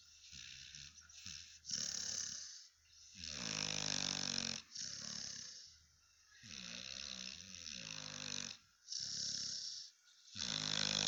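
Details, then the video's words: Spike, a Cane Corso guard dog, asleep and snoring loudly: rasping, rattling breaths with a deep buzzy vibration on each intake, alternating with softer airy exhales in a slow irregular rhythm. "Spike the Mighty Cane Corso !! Guard Dog That Isn't Guarding at the Moment! Snoring Funny Dog"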